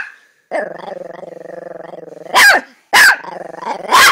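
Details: Small Chihuahua's throaty pulsing growl lasting about two seconds, escalating into three loud barks spaced roughly half a second apart.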